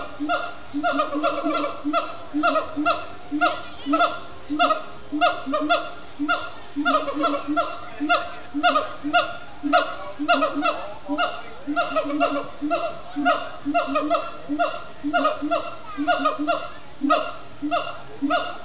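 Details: Extended singing by siamang gibbons at Disney's Animal Kingdom around sundown: a long, steady, fast train of barking hoots with strong overtones, nearly two notes a second, loud throughout with barely a break.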